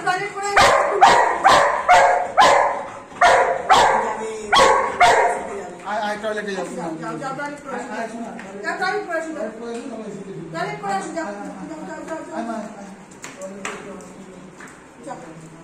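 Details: Anna, a female Golden Retriever at home, greets her returning 'baba' after a long absence with boundless joy: about nine loud, sharp barks in quick succession over five seconds, then excited whines and yelps mixed with people talking.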